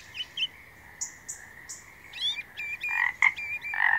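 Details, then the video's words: A frog gives short pulsed croaks in quick bursts late in the recording, preceded by thin high chirps and faint clicks over a quiet background. "Magical Frog Sounds"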